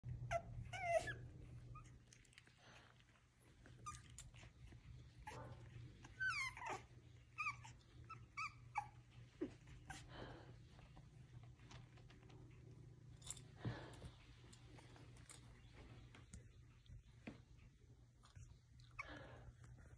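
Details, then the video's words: Five-week-old bottle-fed rescue puppies indoors in a small room, giving short high whimpers and squeaky yelps scattered through the clip over a steady low hum. "Rescue pups - Vid 1 May 21 Bottle babies 5 wks old"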